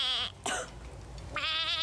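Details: Goat kept as a pet by the teen housemates in the Pinoy Big Brother house: two quavering, wavering bleats, one brief at the start and a longer one about a second later, over a soft background hiss.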